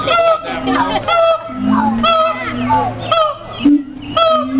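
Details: Siamang chorus: loud ringing barks and wavering whoops tumble over one another above continuous low booms, building into a dense, overlapping series.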